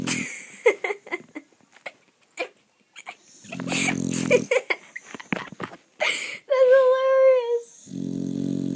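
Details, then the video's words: A pet dog snoring loudly in its sleep indoors: deep, rasping snorts at the start and end, with a thin high whine in between. Giggling and talking from people in the room run throughout. "My dog snores so loud!!"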